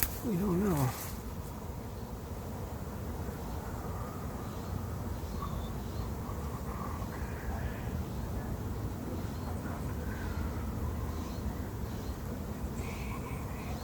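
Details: Late-season honey bee swarm moving into an empty, as yet unprepared hive: a steady, dense, low droning hum that runs unbroken for about thirteen seconds, after a brief human voice at the very start.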